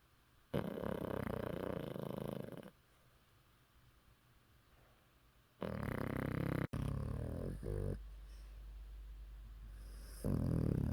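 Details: Yeppi, an elderly 14-year-old Maltese, snores heavily after coming home from a walk, mouth open; loud raspy snore bursts of two to three seconds alternate with quiet pauses, the last one cut off.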